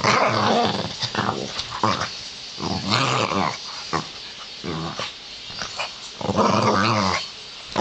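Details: Pug at play indoors giving a near-continuous run of gravelly growls and grunts, rising and falling in strength, in a small room.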